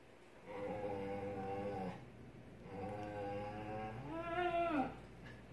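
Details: An Alaskan Klee Kai throwing its daily tantrum gives drawn-out, wavering whine-howls, ending in a higher yodeling rise and fall: Alaskan Klee Kai.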